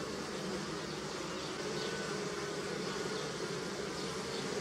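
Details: Continuous buzzing of bees working pussy willow blossoms, a thick layered drone with faint wavering pitch as individual insects pass close, steady and unbroken.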